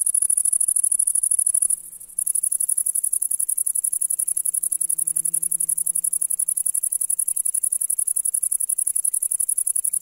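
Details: Grasshopper singing in the grass of a summer meadow on a July day: a very high, thin chirring made of rapid, evenly spaced pulses. It runs steadily except for one brief break near two seconds, with a faint low hum underneath.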